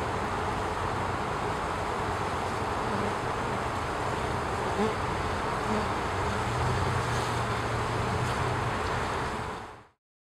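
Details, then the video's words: Western honey bees waggle dancing, a forager signalling the location of a good nectar or pollen source to her nestmates. A loud, continuous, rough buzzing drone with low humming undertones, fading out abruptly at the end. "Honey bee waggle dancing"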